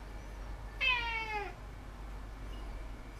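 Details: A domestic cat, 18 September 2016, utters a single clear meow of about two-thirds of a second, richly harmonic and gently sliding downward in pitch, with quiet room hum before and after.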